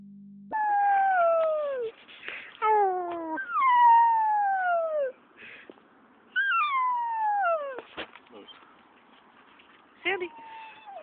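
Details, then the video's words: Puppy howling at a park after a walk there, less than five minutes after arriving; a series of drawn-out, falling, tonal howls of one to two seconds each, broken by short gaps, with a woman's voice talking to the dog. "Howling puppy"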